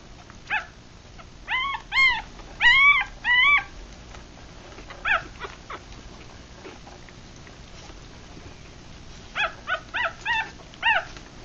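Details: Three-day-old Rat Terrier and Chihuahua cross puppies, eyes still closed, from a litter of six while feeding; high squeaky squeals with rising-falling arcs, some in a quick burst of four, then a pause and another run of five short yelps.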